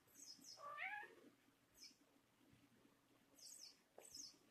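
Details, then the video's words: Thai cat Dorian, a red-tabby-point male born 11 December 2013, jealous and complaining while his friend Kaliostro plays with a toy mouse: one drawn-out rising then falling meow early on, amid scattered high squeaky chirps. "тайский кот Дориан ревнует!"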